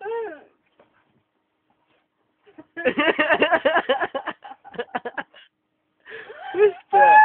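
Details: Playing Akitas: a single drawn-out falling whine, a pause of silence, then a dense stretch of throaty, talkative grumbling and growl-like bursts, ending with more wavering whines.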